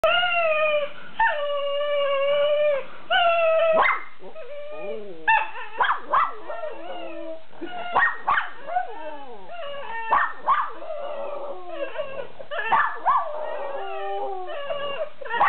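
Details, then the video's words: Mimi, a Miniature Schnauzer raised alongside a beagle, singing and howling: long steady howls with rich harmonics open the sequence, then break into shorter wavering, yipping and whining notes that rise and fall in quick succession. "Mini Schnauzer singing and howling"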